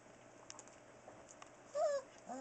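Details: Four-week-old Newfoundland puppies, the litter of Buffy and Smokey, born October 30, 2013, indoors: after a quiet hiss, one short high whining whimper slides down, then a second brief rising squeal begins at the end.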